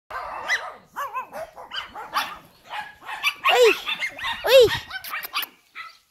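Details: Male Shih Tzu puppies of American line, born March 2018, raised at home in Spain; a rapid series of short high yaps and whiny barks, some louder arching yelps, at uneven intervals.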